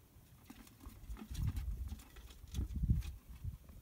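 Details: Banner-tailed kangaroo rat: two bursts of dull, low thumping, a soft flurry near one and a half seconds and a stronger rapid run near three seconds, with faint scattered ticks between.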